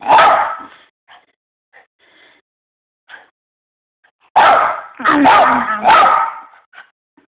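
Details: Miniature Poodle, frustrated while trying to eat a treat, gives a loud harsh vocal burst, a few faint short noises, then three loud, strained, harmonic yelps in quick succession near the end, with small soft sounds between.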